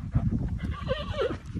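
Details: Andalusian horse, a mare with young foals, giving a short wavering neigh that rises and falls over about a second, with hoof clip-clops and a low rumbling background.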